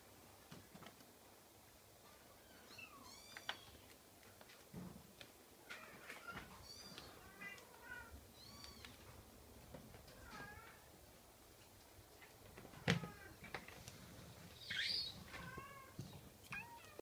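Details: Scottish Fold kitten repeating short, high, arched meows every second or so through the recording, with occasional sharp clicks and a louder bump near thirteen seconds.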